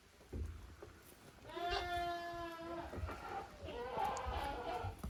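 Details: Playing goat kids of Koharu and Okayu in a farm exercise yard on 13 June 2023; one drawn-out trembling bleat followed by a second, softer rising bleat, with faint background rumble.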